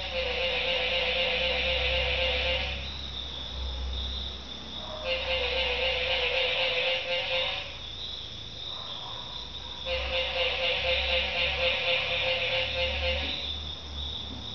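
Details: Noisy tree frogs through the night at Barra de Navidad, Mexico: pulsing trilled choruses swell for two to three seconds, drop away briefly, then return, over a constant high background buzz.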